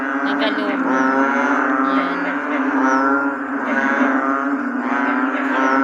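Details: An American bullfrog (Lithobates catesbeianus) on a rainy day gives deep, resonant, cow-like droning calls that run on without pause.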